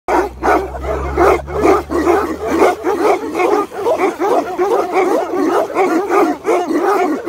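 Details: Several Tibetan Mastiffs bark and yelp together in a dense, overlapping chorus of rapid, uneven calls, with a low steady hum under the first two seconds.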